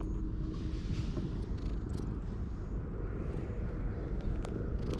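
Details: A stray cat found on a lawn purrs contentedly after being petted and climbing onto a lap, giving a steady, deep, continuous rumble with faint outdoor background noise.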